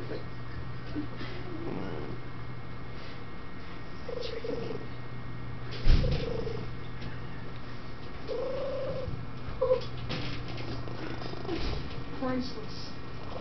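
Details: Shelter office cat in West Virginia that snores, coos and purrs, heard here with a continuous low purr. Several short, soft tonal coos appear, along with one sharp knock and a constant low background hum.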